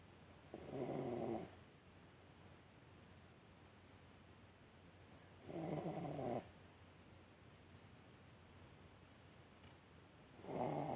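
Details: Sleeping Yorkshire Terrier Alice, curled on a warm heating pad, snores in slow regular breaths, three rasping, hissy snores roughly every four to five seconds with near silence between them.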